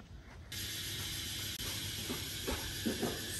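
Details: Cicadas in a resort garden at Nai Yang Beach, Phuket, Thailand, in the afternoon fill the air with a loud, continuous hissing drone and a thin, steady high whine.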